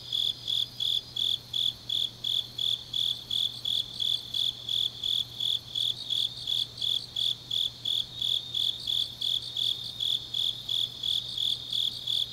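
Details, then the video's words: Grass insects singing through a deep autumn night in Changnyeong, South Gyeongsang Province, Korea; high, bright pulsed chirps repeat about three times each second in an unbroken chorus with a soft background hum. "깊은밤 가을 풀벌레 소리"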